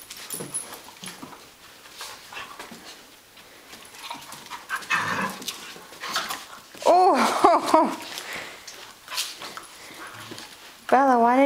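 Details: Catahoula Leopard Dog and Australian Cattle Dog play wrestling, June 2010: scuffles and panting give way to loud wavering, warbling whines around seven seconds and again at the end, with a woman's voice in between.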